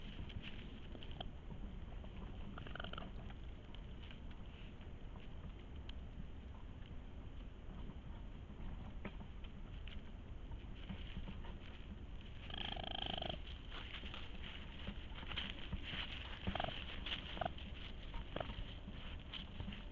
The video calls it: Petit cri du raton laveur/Sound of Raccoon